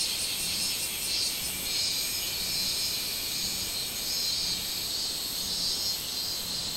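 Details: High, insistent minmin cicada drone recorded on 24 July 2016, its loudness swelling and dipping in regular beats, with faint thin whistles flickering above the steady hiss.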